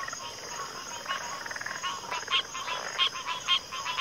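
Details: Frog chorus from a backwater with overlapping raspy pulsed croaks, a few short higher whistled notes near the end, and a constant insect hum in the background.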